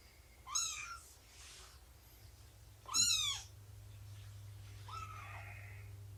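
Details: Indoor cat meows during nursing and playtime with Shelby, an abandoned mother cat of about two, and her kittens; three thin, high-pitched mews spaced a couple of seconds apart over a low steady hum.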